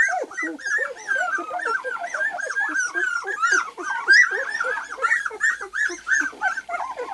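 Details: A litter of two-week-old white golden retriever puppies, eyes just opened, crawling: continuous high, arching whines and squeaks overlap from many pups, forming a steady yelping chatter.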